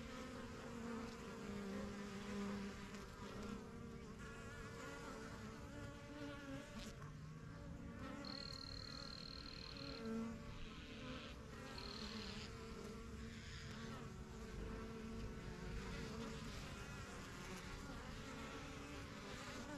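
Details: A busy backyard honey bee hive, the yellow box begun in spring 2023, gives a continuous overlapping drone of many wingbeats, while a thin, high whistle from another creature sounds briefly near the middle.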